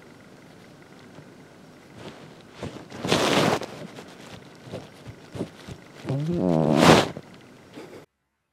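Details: A domestic cat snoring: two loud, breathy, rasping snores about four seconds apart, the second ending in a rougher wavering rattle, over soft background noise.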